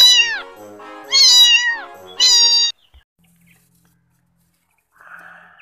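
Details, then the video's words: Cat giving three loud, clear meows, each rising then falling, the first short and the next two drawn out, followed by near silence and faint background music. "Sound of cat"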